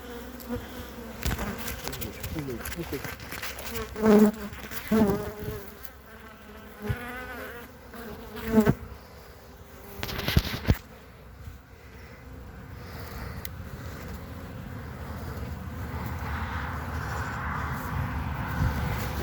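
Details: Honey bees on three frames, 14 February 2021, while the keeper returns fondant cakes: a low buzzing drone under repeated thumps and clatter early on, then a steadier hum with rising hiss.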